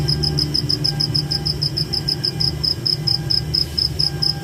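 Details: Night chorus of a cricket in forest: rapid, evenly spaced high-pitched chirps running without pause, set against a continuous deep rumble.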